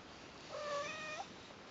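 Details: Persian cats, Lucy and Kimba, newborn brother and sister kittens on their first day beside their mother: one thin, high, steady meow lasting under a second, slightly rising at its end, over a quiet background.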